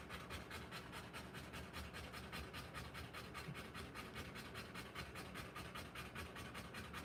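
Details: Fast, regular panting from a Rottweiler giving birth to puppies, breathy pulses about two or three per second with no other sounds.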